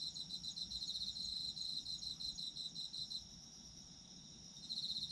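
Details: Chorus of autumn insects for sleep listening: bright, high trilling pulses in quick succession, roughly three per second, pausing briefly near the end before resuming, over a faint low background hum.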